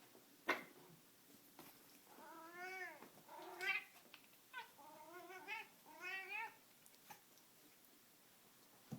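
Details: Male pet cat indoors, getting intense while playing with a string toy, yells in a run of loud, drawn-out meows, some wavering and rising then falling, about five calls over several seconds with short pauses between them.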